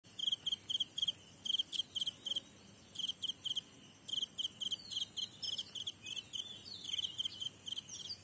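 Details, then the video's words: Grasshopper calling with short, high, buzzy pulses grouped in clusters of two to four, repeated steadily with brief pauses between groups. "Grasshopper sound"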